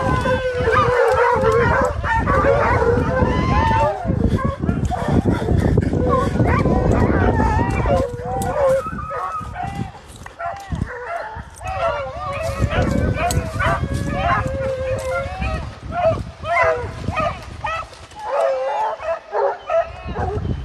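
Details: Several American Foxhounds on a deer chase, part of six hounds pursuing a deer, give overlapping mournful bays in an irregular chorus. Men shout encouragement throughout, and heavy low rumble and rustling fill the background.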